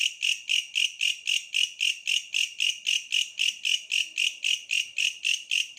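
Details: Bush cricket in a tree giving a shrill, metallic pulsing call, roughly four evenly spaced rasping bursts each second, continuous and regular, with nothing else clearly heard.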